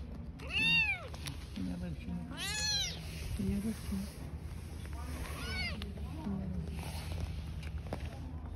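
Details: Newborn kittens and their mother cat living on the street give high, arched meows, about three clear calls with rich harmonics, one near the start, one around two and a half seconds, one later, over a low rumble of street background.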